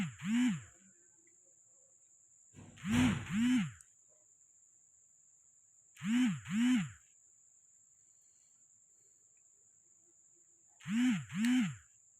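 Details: Persian cat in Gujranwala calling during mating: short arched, nasal mews given in quick pairs, four pairs over about twelve seconds with quiet gaps of two to four seconds, over a steady thin high-pitched whine.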